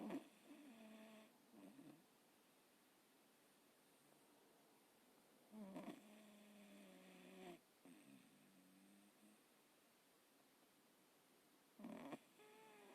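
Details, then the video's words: Jack Russell Terrier sleeping, snoring softly indoors: rough nasal breaths with low harmonic rumbles in short bursts near the start, around six to eight seconds and again near twelve seconds, quiet room between. "Super Sweet Snoring Michaelangelo Jack Russell"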